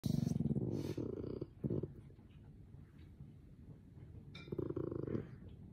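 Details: A tired, grumpy merle French Bulldog puppy gives low, rumbling growls in short bursts, grumbling and barking at noises that annoy it.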